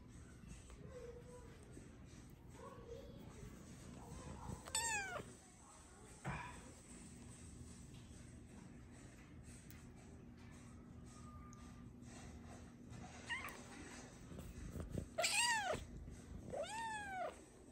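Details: Luna, a playful, talkative cat, lets out an arching meow early on. After a long quiet spell with soft rustles and a steady faint hum, two more meows follow close together near the end.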